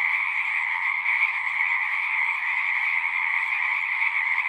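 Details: Many frogs calling at a horse-pasture pond, their overlapping trills blending into one constant high-pitched chorus without pauses, steady in loudness across the whole stretch.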